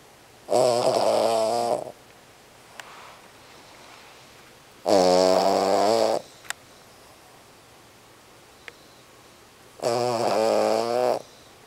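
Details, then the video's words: A small Cavalier King Charles Spaniel snores loudly while asleep, in rasping bursts every few seconds, keeping a corgi nearby awake. "Dog Snoring! King Charles Cavalier Spaniel wakes up Corgi!"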